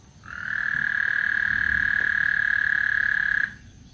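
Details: One clean, loud frog trill from Lake Houston before a thunderstorm: a high, evenly pulsed buzz rising in quickly and lasting about three seconds, then stopping sharply into quiet background.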